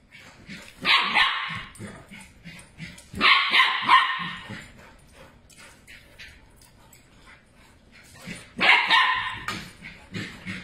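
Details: Two puppies chasing each other around a table give short bursts of high, harsh yapping barks, clustered in three loud spells a few seconds apart, with scrabbling and thumping of play between them.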